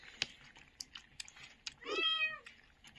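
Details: A litter of young puppies left abandoned in a box at a doorstep late on a winter night, squeaking from the cold: one short, tonal, slightly falling whine with clear overtones, amid faint clicks and room noise.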